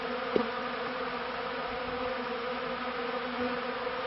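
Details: Short stretch of unbroken honey bee buzzing from a beekeeping setting, 1995–96, a smooth low drone with one quick close pass at the start.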